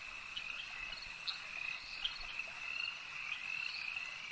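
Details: Frogs calling at a lake: a dense, continuous chorus of high trilling croaks that forms a steady ringing band, with brief louder chirps standing out every half second or so.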